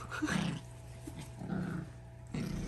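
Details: Second-generation Pomsky puppies, born 16 May 2023, playing energetically together; three short, low, rumbling growl bursts at the start, middle and end, with a steady low hum between them.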